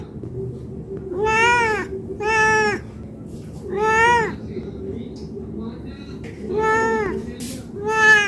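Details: Hungry domestic cat asking for food, giving a series of five short harmonic meows spaced about a second apart, arched in pitch, over a faint low hum and some background voices.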